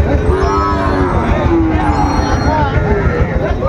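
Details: Sahiwal bull calves at Ambari cattle market in Dinajpur, Bangladesh, on 14 March 2025 as trading begins: drawn-out, wavering moos that rise and fall over several seconds, with steady crowd murmur and a busy market hum beneath.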